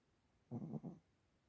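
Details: A Chihuahua snoring indoors: one low, rough, throaty breath lasting about half a second that splits into two pulses, with faint room hiss around it.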